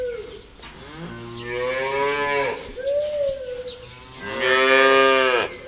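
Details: Free-walking farm cow giving two long, deep, harmonically rich moos, each swelling and then fading, about three seconds apart. A shorter, higher, wavering call falls between them. The recording is outdoors, with light background noise.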